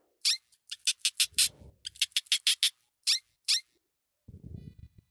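A hamster squeaks in short, shrill, high-pitched bursts, several in rapid succession with brief pauses between. Soft low rustling sounds in the background now and then.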